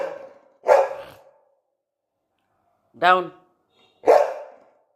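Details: Pet Labrador Retriever indoors giving three loud, separate barks spaced about a second or more apart, while a woman speaks Bengali commands such as down and sit between them.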